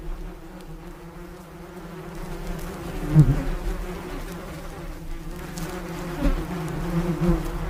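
Bees give a steady, low droning buzz that swells and fades as they pass close.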